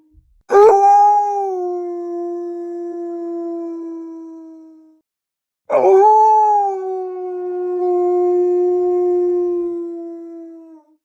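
A wolf gives two long, smooth howls, each starting with a quick rise and then holding steady.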